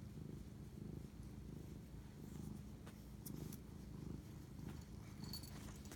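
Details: A house cat purrs close up during a night-time bonding moment on 25 March 2019: deep, even rumbling with gentle rhythmic surges roughly each second, plus faint light taps.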